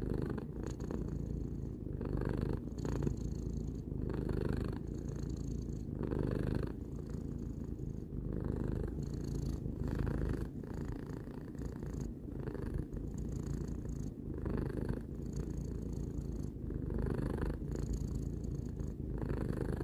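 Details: Three-year-old cat Tarou purring continuously: a low, grainy rumble pulsing with slow regular breaths every couple of seconds, calm and uninterrupted throughout.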